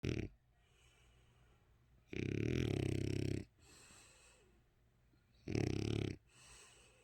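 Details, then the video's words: French Bulldog, eight years old, snoring while asleep with eyes open; loud, broadband rasping snores in two long bursts separated by quieter wheezy breathing. "프렌치불독 코골이"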